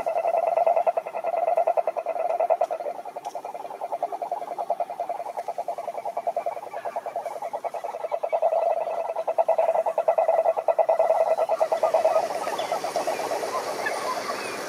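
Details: A chorus of wild cururu toads, Rhinella marina, at a Brazilian Atlantic forest lake: long low purring trills of fast pulses overlap and rise and fall in loudness, with faint higher trilling behind.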